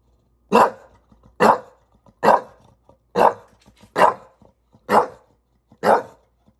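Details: In NYC an English Bulldog, annoyed by a ladder, gives seven evenly spaced, forceful barks, each just under a second apart, in an otherwise quiet room.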